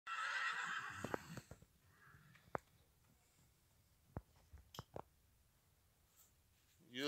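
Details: Stallion giving a shrill, quavering whinny of about one second as people drive away from it, then scattered knocks and clicks over a quiet stretch and a brief rasping burst at the close.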